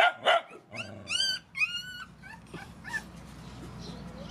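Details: Puppies and mother dogs from a rescue group being fed give high, clear whining yelps. Rising-falling tonal whimpers come in quick succession after two opening barks, then fade to faint whines.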